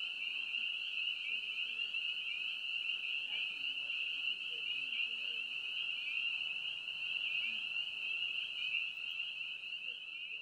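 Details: A dense chorus of spring peepers (Pseudacris crucifer), high shrill peeps blending into one continuous ringing whistle.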